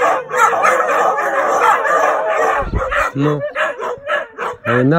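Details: Nightly howling from a group of Siberian Huskies: a wavering chorus of howls, then choppy yelps and rising whine-like calls near the end, with a brief low thump.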